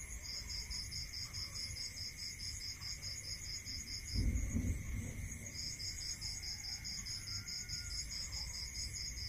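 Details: Crickets at night in a rural setting give rapid high pulsed chirps in two long bursts with a pause between, backed by steady insect trilling and a brief low thump midway.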